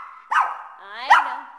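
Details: Male Shih Tzu pet told he cannot come along; a long high whining cry with a sharp bark-like rise near the start and again near the end, held tonal throughout.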